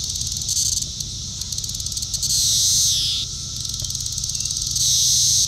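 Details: Magicicada cassini periodical cicada of Brood IV, recorded June 5, 2015 at Shawnee Mission Park, Kansas; tymbal song, a high ticking series swelling into a loud buzz that slurs downward.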